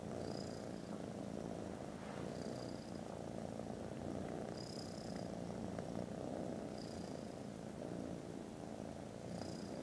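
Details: Very loud, unbroken purring of foster kittens resting contentedly after lunch; the low throbbing rumble holds steady, while short high squeaky tones recur roughly every two seconds above it.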